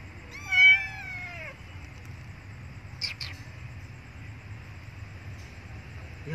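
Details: Abandoned female kitten crying loudly for milk: one strong, wavering, downward-sliding meow near the start, then brief clicks and quiet low hum for the remaining seconds.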